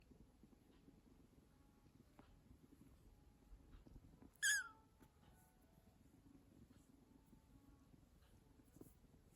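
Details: Rescued kitten indoors, one of a pair taken in at one month old: Yomogi, a female, and Kinta, a male. One brief, high, squeaky meow with a sharp downward slide breaks an otherwise quiet room with a faint low hum.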